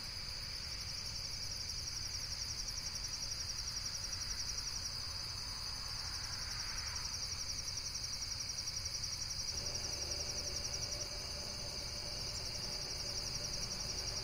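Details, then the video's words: Insects calling in a steady, dense, high-pitched pulsing chorus that trills rapidly and evenly throughout, with a soft low rumble underneath and a faint brief swelling hiss near the middle. "Amazing Insects World - Relaxation Video with Various Nature & Insects Sounds"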